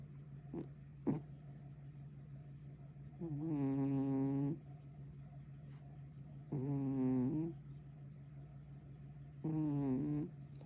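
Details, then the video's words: Young kitten snoring in its sleep: three rasping, harmonic breaths, each about a second long, repeating roughly every three seconds, with a steady low hum and a few faint clicks in the background. "어린노무껭이가?! 이래서 같이 못잔다"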